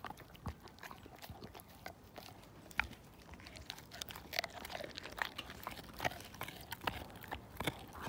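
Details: Siberian Husky named Slim gnawing a bone down to nothing; scattered sharp crunches and clicks of teeth on bone over a soft background hiss, with quiet speech in the room.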